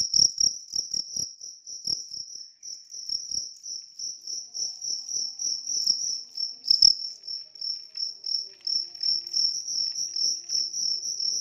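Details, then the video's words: High, pulsed chirping of a large cricket continuing throughout, rhythmic trilled bursts, faint tapping and clicks at the start. "ternyata jangkrik besar ini tidak ada lawan"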